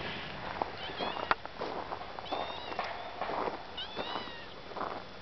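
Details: Friday, a female domestic cat on the hill behind the house, waiting after hearing the car arrive, gives several short, rising-and-falling meows spread across a few seconds, mixed with rustling and handling clicks outdoors.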